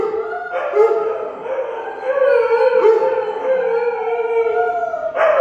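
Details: Husky, German Shepherd and Weimaraner join in a continuous chorus of long, slightly wavering howls, one voice climbing above the others, with a fresh burst near the end.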